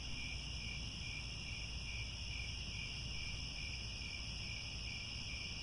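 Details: At sunset in the Cambodian grasslands by Angkor Wat, crickets keep up a constant shrill chorus of high, pulsing trills, set against a continuous deep rumble.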